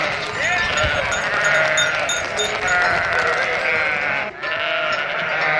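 A flock of sheep bleats continuously, many wavering, nasal voices overlapping into a dense chorus with no clear pauses.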